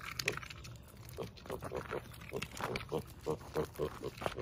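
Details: Rescue piglet at a farm sanctuary, playing three weeks after brain surgery; short soft grunts repeated roughly every third of a second, growing stronger toward the end, with faint background hum.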